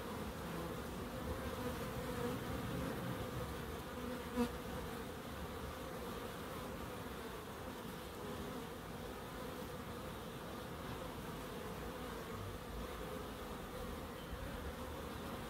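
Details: Garden bees at a terraced house in Crookes hum in a constant low drone, layered buzzing tones holding steady, with one brief sharp click partway through.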